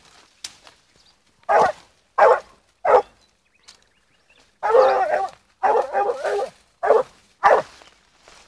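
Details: Barks from a young blue griffon female, 14 months, following a wild boar scent: sharp single barks spaced under a second apart, then a rougher run of longer, ragged bays, with a faint voice between.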